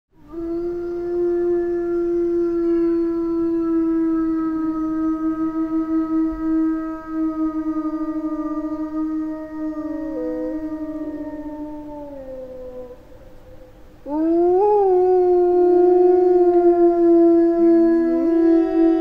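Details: A small pack of Eurasian wolves (Canis lupus lupus) howling in the Finnish taiga: long, steady mid-pitched tones that bend and overlap as voices join in.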